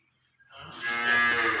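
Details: A Holstein Friesian cow, six teeth in age, on a farm in Setabganj, Dinajpur, Bangladesh, offered for sale, gives a single rich harmonic moo that swells and holds steady near the end.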